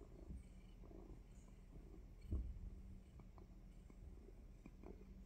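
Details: Close, low purr from a pet cat ahead of a surprise bite, an even rumbling drone with a few soft ticks and one brief louder bump.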